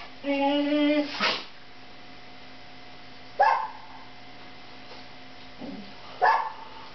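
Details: Siberian Huskies lying in bed; a drawn-out, wavering whine opens, then three short, gruff barks spaced a couple of seconds apart, with a steady low hum underneath.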